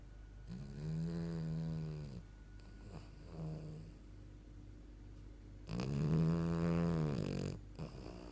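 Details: A French Bulldog lying on a sofa snores in long, low, rattling breaths with a short quiet pause between them.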